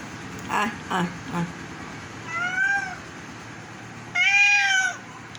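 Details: Sick domestic cat, indoors, being coaxed to eat a fish head, gives two drawn-out, slightly arching meows in the second half, after a few short spoken words at the start.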